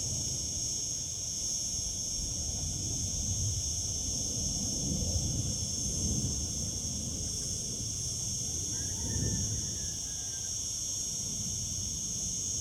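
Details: A chorus of cicadas singing in summer fills the air with a continuous, hissing high buzz, layered in several shrill tones and never letting up; low wind or distant traffic rumbles faintly underneath.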